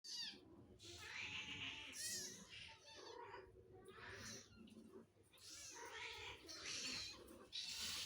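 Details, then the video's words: Cats asking for food, making funny sounds: overlapping wavering, hoarse meows and yowls in close succession over a hissy background, calls rising and bending in pitch, a person speaking briefly. "Cats are asking for food making funny sounds!"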